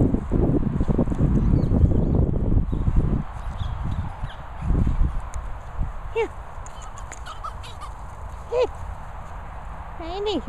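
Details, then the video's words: Patterdale Terrier named Pip giving short high whining yelps, each arching up then down, around three spaced calls in the second half after a stretch of low rumbling noise and handling sounds. "Patterdale Pipping Pip."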